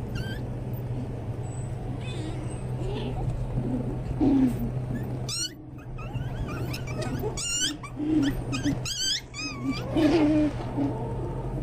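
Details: Pomeranian Toy Spitz (Volpino) puppies giving high, squeaky, wavering whines and yelps in scattered bursts, most between four and ten seconds, over a steady low electrical hum and faint room noise.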